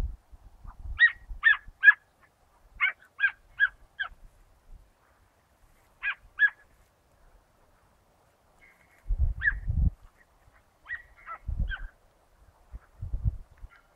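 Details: Rabbit hunt with the Dachshund Mota, 19 August 2012, the dog working to force the rabbit out. Clipped yelping barks fall in short groups of two or three, with silent gaps and bursts of low rumbling noise between.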